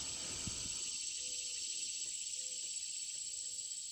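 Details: Insects and crickets at Lumber River State Park, Princess Ann Access, Orrum, North Carolina, with a woodpecker and a chirping bird nearby: a steady, very high buzzing drone, faint low whistled notes about once a second, a brief low thump at start.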